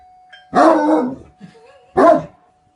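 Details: Two deep, coarse barks from a Great Dane, the first drawn out and trailing off, the second short and punchy, over a faint constant tone.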